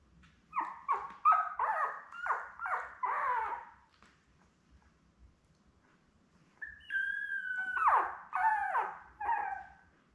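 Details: Newborn Labrador Retriever puppies, one of a litter of seven born May 24, 2021 to mother Belle, on an indoor puppy cam on 4 June: a run of short squeaky whimpers, then a pause and a longer high squeal with more yelps.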